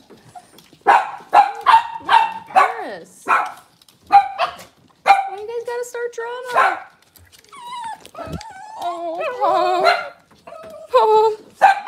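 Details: Cavalier King Charles Spaniel puppies on a kitchen camera on a cloudy Monday morning, giving a run of sharp, high yapping barks, then wavering whines and squeals, with some overlapping puppy voices.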